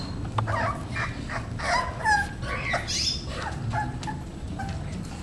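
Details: Romeo, a 38-day-old male English Bulldog puppy, gives soft, whining whimpers and short squeaky yelps in bursts over a low, steady background rumble.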